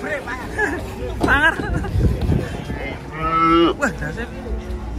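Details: Cattle unloaded from a truck in Indonesia; a loud drawn-out moo with a strong harmonic stack sounds near the end, preceded by shorter lowing, with people talking and background music.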